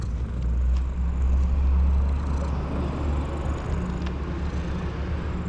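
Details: Steady low rumble of passing road vehicles in an urban street, with no animal voice heard.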